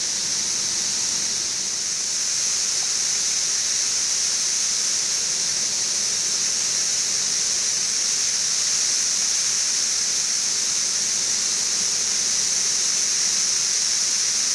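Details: Central Kentucky's 17-year periodical cicadas of Brood XIV, filmed in Frankfort in June 2008 two weeks into the emergence. Countless insects merge into a constant shrill hiss-like drone that holds level throughout. A running air conditioner sits about 20 feet off.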